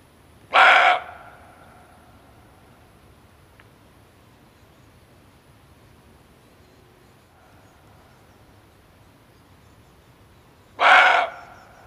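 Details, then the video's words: Male barking deer call used to lure game when hunting: one short, hoarse, broadband bark near the start and a second identical bark about ten seconds later, with near silence between. "Suara Kijang Jantan"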